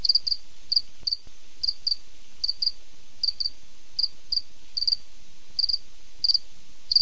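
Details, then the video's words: Cricket chirping at night in quick bursts, often paired or tripled, high and sharp, spaced irregularly about every half second, with soft low background noise. "cricket sound night"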